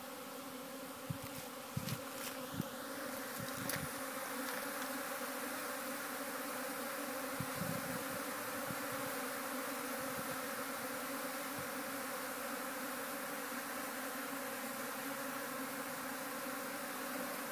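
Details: Busy honey bees leaving the hive on a cool spring day once the sun appears, a thick unbroken buzzing drone with several steady tones, scattered soft taps and knocks in the first seconds.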